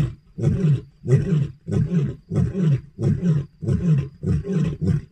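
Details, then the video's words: Lions at night around a lodge give a run of deep, throaty grunting roars, each about a second apart. "Lions roaring in the night"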